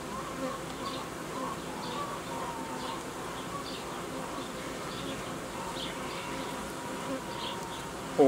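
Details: Honey bee colony at an apiary during the uniting of colonies and the creation of young colonies from queen cells. A continuous droning hum with layered pitched bands holds steady for eight seconds, dotted with light tapping clicks and a sharp knock at the end.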